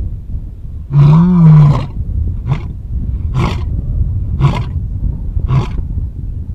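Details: A male lion, his mouth covered in blood, gives a deep, drawn-out roar, then a series of short grunts about a second apart.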